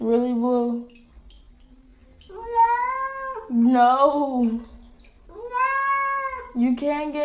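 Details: Cat meowing in a talkative run of drawn-out, wavering meows, some rising and bending like speech, with short quiet gaps between calls.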